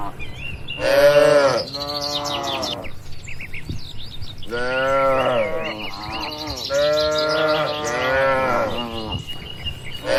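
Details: Cattle lowing in a farm barn: a loud moo early on, a pause, then several long, wavering moos close together, with scattered bird chirps above.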